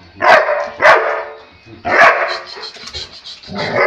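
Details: Onix, a black Labrador Retriever, cheerful and playful after a good bath, gives loud, deep barks: two close together, then a third after a pause, followed by softer noises and a muffled bark at the end.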